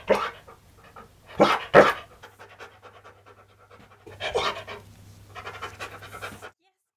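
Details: Siberian Husky named Key, a dog prone to sudden zoomies, breathing in loud, breathy panting bursts: a short huff, a close pair of stronger gusts, then a longer rasping stretch near the end, over a steady low hum.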